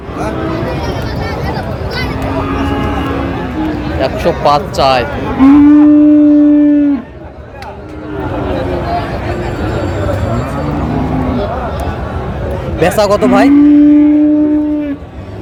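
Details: Bull calves of Friesian and cross breeds at Raniganj market in Dinajpur, Bangladesh, on 24 April 2025: two strong, sustained, flat-toned moos about eight seconds apart, separated by constant crowd chatter.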